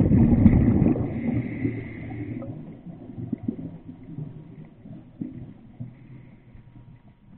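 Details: A grey whale's sustained, high tonal note, underwater off Laguna Beach, sounds for two seconds over a low underwater rumble.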